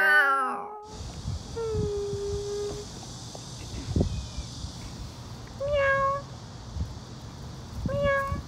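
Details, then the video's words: Stray cats outdoors: after a brief harmonic burst at the start, a drawn-out level meow is followed by two shorter, higher meows a few seconds apart, with light background noise. "ADORABLE STRAY CATS | MEOW"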